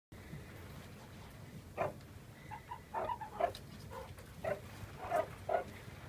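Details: Meerkats give short, squeaky chirps in quick, irregular bursts over a low steady hum while playing with a candy cane cat teaser toy.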